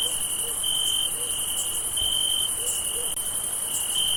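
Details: Crickets trill steadily on a summer night, a continuous high chirping chorus with gentle pulses in loudness.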